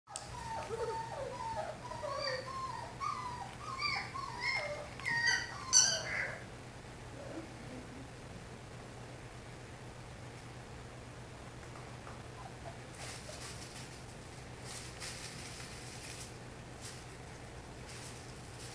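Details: Two male Old English Sheepdog puppies, born 27 February 2022, give high, squeaky whimpers and yelps in quick irregular bursts for about six seconds, then fall quiet over a steady low electrical hum with faint rustling.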